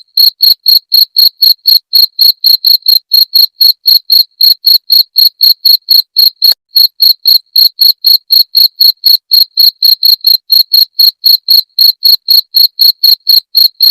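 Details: Cricket sound played to repel rats: sharp, high-pitched chirps repeated steadily about four times a second, each a short bright pulse, with one brief hitch near the middle and no other sounds.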